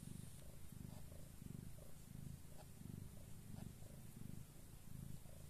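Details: Domestic cat in labour, giving birth, purring steadily: low rhythmic pulses, roughly two per second, each a soft rumbling burst, with faint room noise behind.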